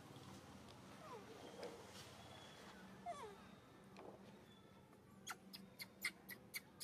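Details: Hungry baby monkey named Saro crying out before being given food; several thin, falling squeals drift through a quiet background, followed by a run of sharp, evenly spaced clicks near the end.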